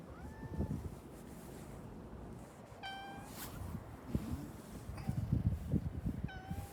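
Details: Plaintive meowing from a brown tabby-and-white cat in Hakata's Sumiyoshi district, Japan: four short, wistful mews spaced irregularly, each bending downward at the end, with low rustling and thumping noises in between.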